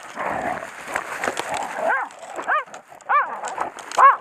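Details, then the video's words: Heideterrier Odin von der Lönsmeute on a driven wild boar hunt, holding a wounded sow at bay; after a rustling, noisy start, sharp arched barks ring out singly, roughly every half second to second. "Heideterrier "Odin von der Lönsmeute" bindet kranke Sau auf Drückjagd"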